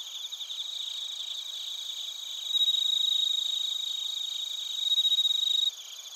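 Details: In Narita, Chiba Prefecture, Japan, bell crickets and crickets sing on a TASCAM Portacapture X8 recording. A nearer insect gives a loud bright ringing trill in two long bursts over a continuous high chorus.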